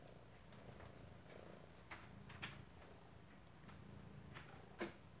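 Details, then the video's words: A Maine Coon cat purrs in a steady, low rumbling drone while chasing "prey", with a few soft clicks and knocks. "Lilly the Maine Coon purring and chasing "prey""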